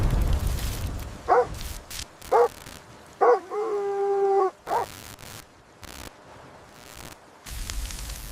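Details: Puppies romping with baby rabbits on a grassy lawn give a few short, high yelps and one drawn-out, tonal whining note, with low rumbling and handling noise around them.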